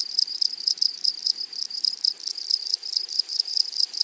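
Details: Flowery meadow grasshoppers chirring, a bright high buzz broken into quick rhythmic pulses, several per second, continuous and even, with no other clear sounds.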